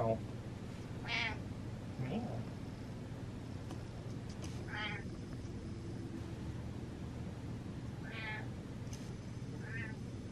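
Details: A pet cat meows with a purpose, several short nasal meows spaced a few seconds apart, some higher and some lower, while a person talks and imitates the meows nearby in a quiet room.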